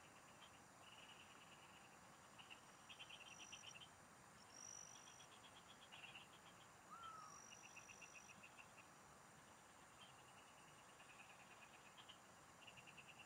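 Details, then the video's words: Singing frogs in rural fields, heard while fishing: repeated high rattling pulse trains, each about a second long, coming from several callers, with occasional thin whistle-like streaks and a steady hiss behind. "Pikinggan mo Ang MGA huni Ng MGA Palaka SA bukid| Relaxing Frog Singing"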